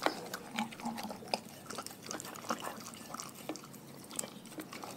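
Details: Raw food is crunched by a pack of dogs: loud crisp snaps at the start, then continual moist gnawing with scattered sharp crackles and slurping.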